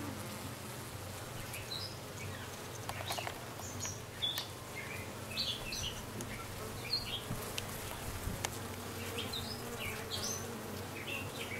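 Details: Honey bees around a newly arrived dark queen, recorded 6/5/13: a steady low buzzing hum runs throughout, beneath frequent short high chirps from birds nearby.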